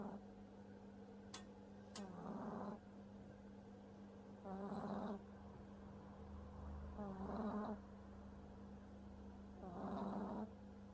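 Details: A sleeping French Bulldog puppy snores heavily, giving four rough, buzzy snore bursts about every two and a half seconds, each rising then fading. A constant low hum runs underneath, with a couple of sharp clicks near the start.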